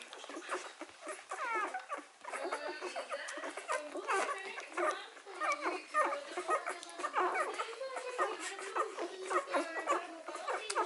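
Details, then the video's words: Three-day-old Hovawart puppies suckling, giving a steady run of high, squeaky harmonic whimpers and short squeals that rise and fall in quick bursts, with human voices murmuring underneath. "Hovawart puppies (3 days old) suckling"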